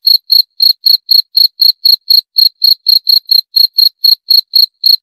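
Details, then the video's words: High, rhythmic cricket chirps, about four each second, evenly spaced and unbroken for five seconds, clean and isolated with nothing else audible. "28 Menit Suara Jangkrik - 28 Minutes Cricket Sound Effect"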